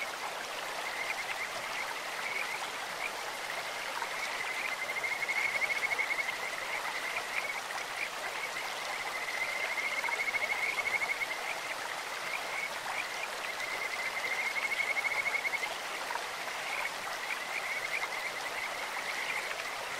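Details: Kajika frogs calling in a stream, a near-continuous high trilling band of rapid pulsed notes that swells in loudness every few seconds, over steady rushing water.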